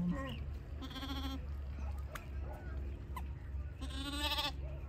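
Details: Goat kids in a large group, jumping and playing, letting out two short nasal bleats about three seconds apart, with people's voices and a low background hum.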